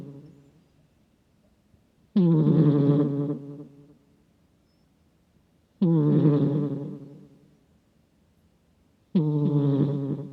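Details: Sleeping house cat snoring heavily, recorded by microphone, its rumble likened to a middle-aged man's: the tail of one snore, then three gravelly low buzzing breaths every three to four seconds, each decaying gradually.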